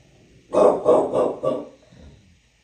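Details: Bulldog in New York City giving a quick run of four hoarse barks in just over a second, then a soft breathy trailing sound.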